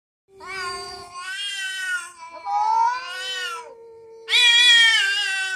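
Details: Two domestic cats, a ginger one among them, quarrelling with loud, scary-sounding meows: long wavering harmonic wails rising and falling, one voice sliding low and steady while another answers in higher, strained bursts.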